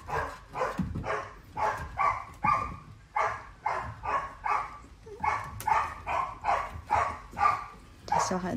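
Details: Staffordshire Bull Terrier puppies, siblings of the weakest pup of a litter of eight that died, play indoors; a long run of high yelps and whimpers roughly twice a second, with a person talking softly.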